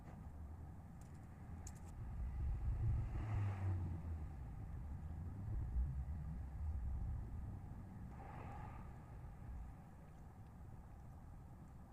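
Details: Steady low rumble of passing vehicles dominates throughout. No distinct animal voices stand out above the background noise.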